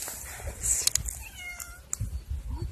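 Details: Feral cat on the Croatian island of Cres, being released after sterilisation at a tourist bungalow settlement, makes a short, bright meow amid sharp clicks and scraping outdoor noises, with a soft low sound at the end.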